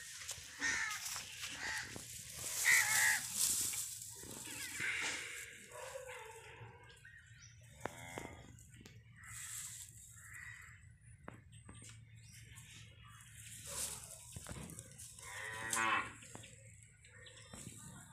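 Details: Calf of domestic cattle on a farm giving a few drawn-out, harmonic moos, one loud call early and another near the end, separated by quieter stretches with scattered clicks and background rustling.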